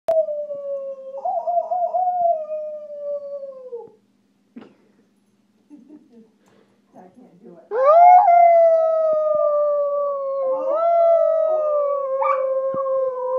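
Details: Walker Coonhound being taught to howl: two long, smooth, slowly falling howls with clear overtones, the second louder and longer after a quiet gap with faint murmurs.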